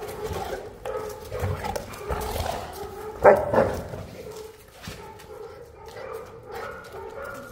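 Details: One of the Boerboel pair Enzo and Diva, South African Mastiffs living in Egypt, gives low moaning vocal sounds with a single sharp bark near the middle. Quieter grumbles follow.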